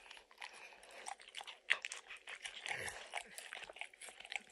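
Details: Dog eating peanut butter and kibble from an orange lick mat, recorded indoors without talking; short bursts of wet licking and smacking with a few crisp crunching bites.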